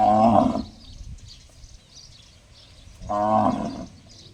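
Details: Two short, ringing, gong-like calls from a cow about three seconds apart, each roughly half a second long, with faint high chirping in the background.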